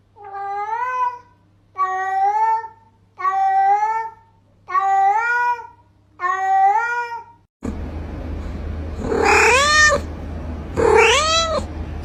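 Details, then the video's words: Cat meows meant to draw cats near: five evenly spaced, arched mid-pitched meows about one and a half seconds apart, followed by two louder, more strained meows over a noisier background. "Sounds that attract cats - Meow to make cats come to you"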